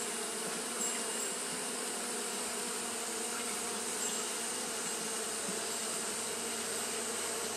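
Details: Continuous wing-fanning hum of Japanese honey bees on a hot day, smooth and unvarying in loudness, with a low tonal drone and a persistent high hiss in the background.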